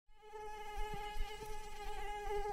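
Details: Mosquito in flight: a steady, thin, high-pitched whine with rich overtones, holding an even tone for over two seconds, faint low background rumble.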